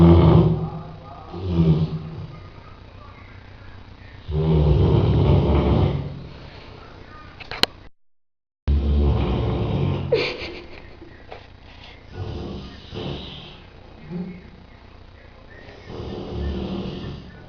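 A sleeping Rottweiler snores in deep, rumbling breaths that come every few seconds.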